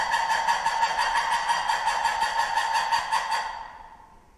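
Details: Lemur producing a rapid, raucous pulsed call, about three pulses per second, harsh and harmonic, held for several seconds before fading out.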